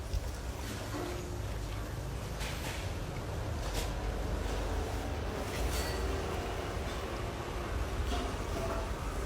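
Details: Steady low rumble like a moving vehicle or train fills the recording, with faint scattered clicks and bursts above and no animal calls.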